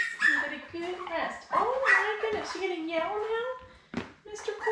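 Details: Newborn Labrador Retriever puppies, a litter of seven born May 24, 2021, with their mother Belle, on a live puppy cam: high, wavering whines that bend up and down in quick succession, with short breathy gaps between cries.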